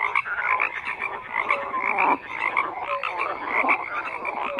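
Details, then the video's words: Many frogs croaking at once, rough pulsed calls overlapping with a few clear short whistled notes, the chorus dipping briefly near the middle before resuming. "FROGS CROAKING"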